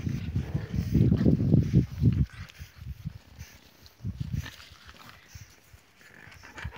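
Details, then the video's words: Bulldog jumping, giving loud, rough, low snorting grunts in rapid bursts for about two seconds, then quieter scattered snuffles near the four-second mark before fading to low background noise. "jump bulldog :)"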